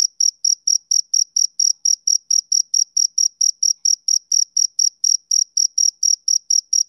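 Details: A male cricket chirps rhythmically on a summer evening, giving bright, high, ringing pulses at a regular beat of about three per second, with no other sound.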